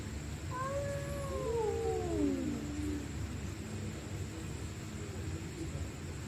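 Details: Stray cats fighting at night: overlapping high and lower yowls waver and slide downward together, a tense duet of screams lasting about three seconds amid continuous low hum.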